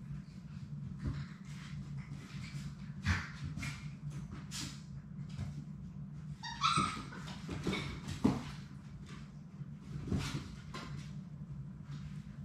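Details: Six Labrador Retriever puppies at play in their puppy play room give brief high whimpers and a short yip around the middle, over constant scuffling, paw taps and a steady low mechanical hum.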